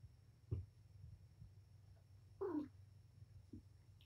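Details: Mother cat Patience, surrendered to Purrfect Pals, indoors playing with her litter of five kittens; one short, soft descending meow midway, a faint thump before it and a brief low note after, in a quiet room with steady background hum.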